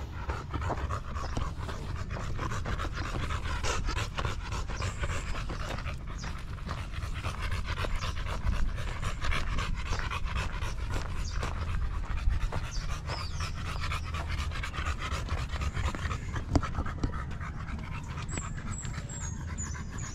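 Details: Golden Retriever Buding, the dog caring for her master, panting continuously in fast even breaths over twenty seconds, with a faint high chirping sound near the end.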